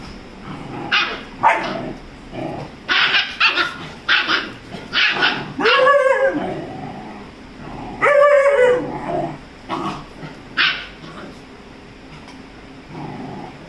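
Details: Rajapalayam puppy, 35 days old, play-fighting with Dora the Labrador; a run of quick yapping barks, then two rising-falling whines near the middle, followed by more scattered barks.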